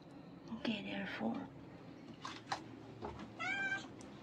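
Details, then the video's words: Newborn kitten, one of five born to a semi-homeless mother cat in July 2022, crying for help after being moved into a garbage bin; thin, high wavering meows in two short bursts, with a person talking softly nearby. "Newborn kitten crying for help"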